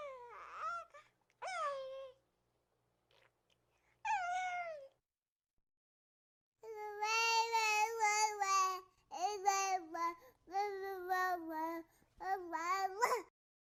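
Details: Reese, a baby hedgehog, coos in a run of high, whiny, harmonic-rich calls; early cries are isolated and sliding downward, then a longer burst of wavering, rapidly repeated squeaky notes follows in close succession.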